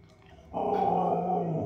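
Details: Siberian husky singing: after a quiet start, a low, steady moaning note begins abruptly and holds for about a second, slightly rough and growly in tone.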